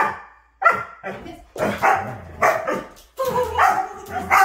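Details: Siberian Husky, refusing to give a kiss when asked, answers with drawn-out grumbling howl-like "talking": a series of moaning, wavering bursts in several phrases, loud and close.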